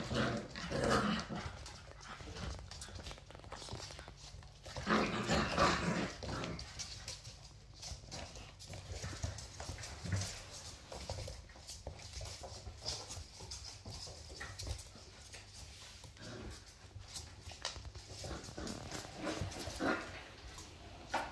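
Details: Feisty female Labrador Retriever puppy playing rough with her teddy bear, giving loud rough vocal bursts near the start and again around five seconds, then quieter scattered grumbles and scuffling noises through the rest.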